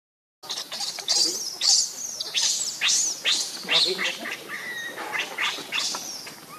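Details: Baby monkey Lucie crying, hungry and begging for milk: a loud run of shrill, high squeals, each sweeping downward, repeated about twice a second, with a steady insect hum behind.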